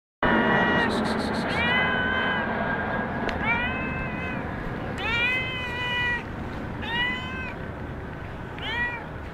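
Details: Stray cat mewing outdoors somewhere in Sharm el Sheikh; about six loud, tonal meows that arch up then down, spaced roughly a second or two apart, over a constant broadband background rush.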